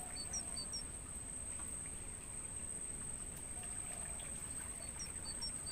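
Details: Crickets in a natural mangrove forest, recorded for use as training sound to stimulate songbirds. A steady, very high, unbroken ringing trill runs throughout, with short descending bird chirps in pairs near the start and end over a low background rumble.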